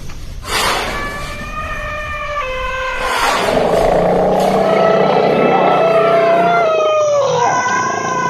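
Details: Elephant at Hojai in Assam, India: steady, held tonal notes with layered overtones for a few seconds, then a loud, harsh, rough blast over a low rumble that ends in a falling, siren-like wail.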